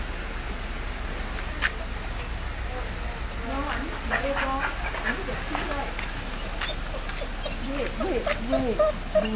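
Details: Wilbur the dog, excited to see another dog walking past, recorded 30 October 2008: a run of short, high, bending whines and yelps, clustered and rising and falling, over steady low rumble with voices nearby.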